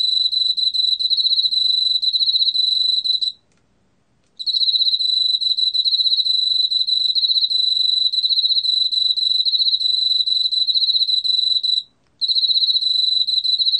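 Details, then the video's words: Long bursts of shrill, pulsing trill from a Korean field cricket, broken by two short silences, with evenly repeated pulses throughout and no other sounds. "왕귀뚜라미, 여러번 듣기, 곤충소리"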